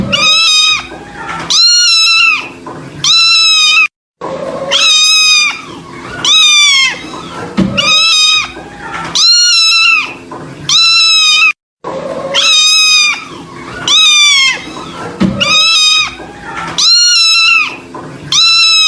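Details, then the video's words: Kitten giving sad-sounding cries: loud, high, harmonic meows that rise then fall, in bursts of about four, with each burst repeated every few seconds and separated by brief silent gaps. "suara anak kucing bikin sedih"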